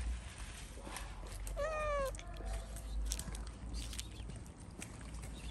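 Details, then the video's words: Street cat in Morocco, one of several strays, meowing for food: a single clear, drawn-out meow lasting about half a second with a slightly falling tone, heard over steady low outdoor rumble and faint street noise. "The cats heard a cat meowing for food, so they all came."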